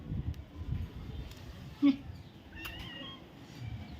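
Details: Domestic cat meowing once, briefly and faintly, while having its ears cleaned, heard after a sharp tap and handling noises, with quiet Vietnamese speech around.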